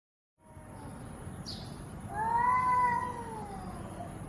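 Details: Angry cat giving one long drawn-out wailing meow that rises and then slowly falls, over a faint steady hiss and low background noise.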